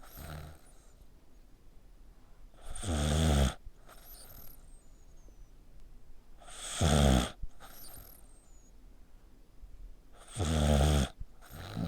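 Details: Sleeping dog with its neck scrunched up, snoring the way a person does. Harsh, rattling snores of under a second come about every four seconds, each followed by a thin, falling whistle, with soft breathing between.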